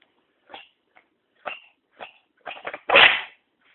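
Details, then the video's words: Chester, a cat, working up to a sneeze: several small puffy snorts, then a quick double huff and one loud, explosive sneeze near the end. "chester sneezes"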